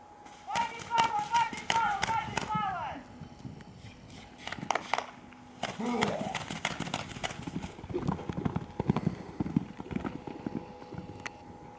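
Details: Akhal-Teke horse from a stud in Dubna, Moscow region, Russia, giving a wavering, quavering whinny of about two and a half seconds that drops at the end, followed by clip-clopping hooves, rustling and people talking nearby.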